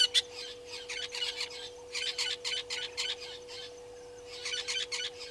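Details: African painted dogs at Gowrie dam waterhole, Djuma Game Reserve, Sabi Sand Wildtuin, South Africa, on a live waterhole camera, 4 March 2022 at 17:49. Clusters of shrill, squealing twitters come in bursts of about a second, with gaps between, over a steady electrical hum.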